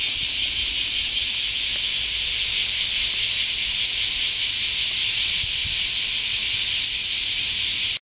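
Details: Cicadas in summer heat give a dense, unbroken high-pitched buzzing hiss that holds steady without pause for the whole eight seconds, with no other clear sounds.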